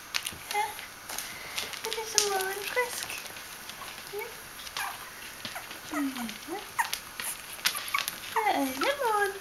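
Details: Bichon Frisé puppies, three weeks and four days old, at a small kennel in Vejle; repeated thin squeaky whines and falling yelps scattered throughout, overlapping human voices and soft tapping indoors.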